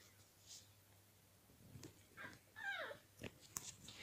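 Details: Pembroke Welsh Corgi puppy named Martin, from a kennel in Moscow-Chekhov, still calling a kitten to play after it slipped out of a tube. A brief high whine slides downward and is joined by soft rustles and clicks indoors.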